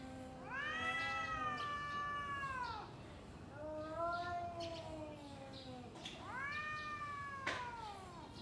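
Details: Two domestic cats yowling at each other ahead of a fight, three long arched howls, each swelling then sagging, separated by brief pauses, with faint rustling and clicks behind.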